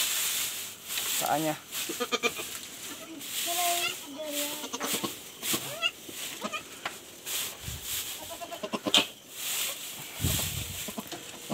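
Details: Goat on a backyard farm that has just given birth, with a pen being lined with grass; several short, wavering, nasal bleats with strong harmonics, interleaved with a man talking in Filipino, rustling and knocking sounds.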